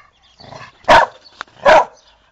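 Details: Two loud, full-throated barks from a dog, spaced under a second apart, with a faint softer sound before them and a brief click in between.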